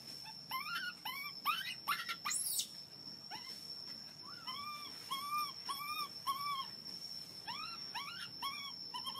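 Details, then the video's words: Baby monkey, hungry and begging for milk, utters quick chains of arched, piping wails in bursts, with one shrill rising squeal early on; a constant high electronic whine runs throughout. "Baby monkey hungry milk crying so loudly to ask milk."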